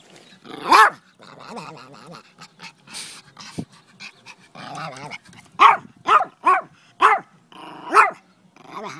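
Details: Dog behaving strangely gives loud harmonic barks and yelps: one early bark, scattered grumbles and snuffles, then a quick series of five sharp barks over the last four seconds.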